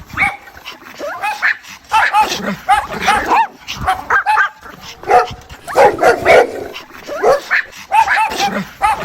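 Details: Mother dog calling her puppies: a busy stream of short, high, nasal whines and yelps, many bending up and down in pitch and tumbling over one another with brief quiet gaps, possibly several voices.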